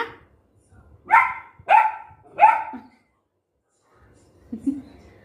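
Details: Golden retriever puppy in Guntakal, angry at dogs barking outside and wanting the gate opened, gives three quick sharp barks in a row, then a soft low grumble.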